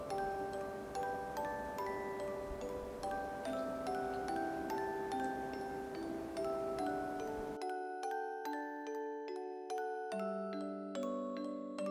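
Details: Gentle glockenspiel and chime melody plays throughout, with no animal sound.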